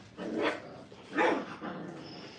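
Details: Brittany puppies, five weeks old, playing together in a training kennel while sorting out who is dominant; two short, sharp yelping barks roughly a second apart, each a brief broadband burst, with quiet indoor room noise between.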